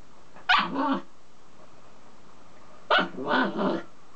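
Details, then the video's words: Black Mame Shiba Inu barking at its reflection in a mirror: two short, harsh double-burst barks about two and a half seconds apart, with quiet room background between them. "黒豆柴まめすけ 鏡に映った自分に吠える"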